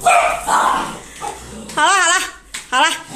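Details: Siberian Husky being shaved indoors, wailing dramatically; two wavering, rising-and-falling howl-like cries with a rich harmonic tone, each under half a second, follow a stretch of human speech.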